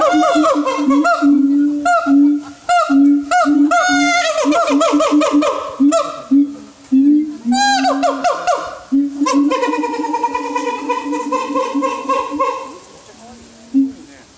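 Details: Siamang at Higashiyama Zoo and Botanical Gardens, Aichi, Japan, calling loudly: ringing hoots and quick swooping barks repeated about every second, building into long, sustained, wavering wails.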